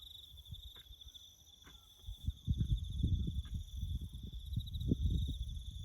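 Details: A bush cricket chorus during farm work: a steady high trill of rapid pulses continues throughout, while low rumbling noise grows louder from the middle onward and a few faint clicks sound early.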